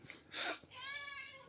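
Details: Pet cat's drawn-out crying meow lasting nearly a second, preceded by a brief loud rustling burst, with a faint thump at the very end.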